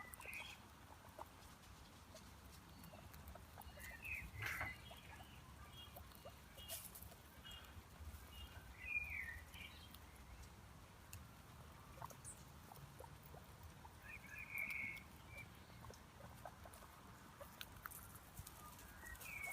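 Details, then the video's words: Marmot giving short, sharp whistled chirps, three brief calls spaced several seconds apart, heard faintly over steady outdoor hiss and scattered clicks. "MARMOT SOUND"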